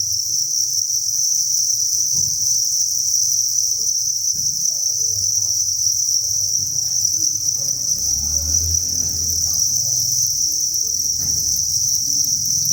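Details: Inside a cricket farm's breeding facility, thousands of crickets keep up a steady, shrill, high trilling drone, with low rumbling and muffled background movement sounds beneath it.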